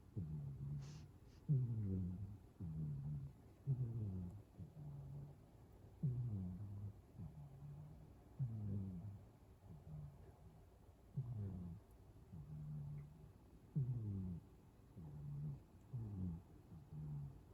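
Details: A sleeping cat snoring indoors, with low, rough, buzzy breaths rising and falling in a steady rhythm of about two dozen breaths a minute. Each breath has a short harsh onset followed by a hum, and the room is otherwise quiet.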